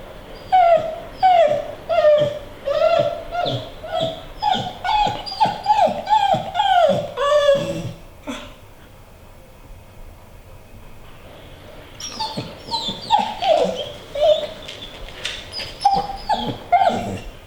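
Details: A female American Pit Bull Terrier whines hilariously to be let onto a treadmill, a run of rapid, high, nasal whines that bend up and down, almost yodeling, pausing briefly and then resuming just as eagerly.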